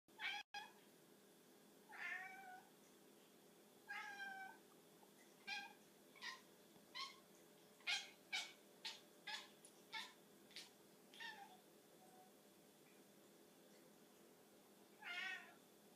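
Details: Domestic cat making odd noises over a tiny bug: short trilled meows, then a run of rapid clipped chirps roughly every half second, ending in another brief meow after a pause, against a quiet indoor hiss.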